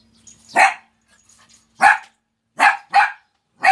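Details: A puppy at a countryside house gives five sharp, loud barks in under four seconds, the last three coming quickly, with quiet pauses between them and faint soft sounds in the background.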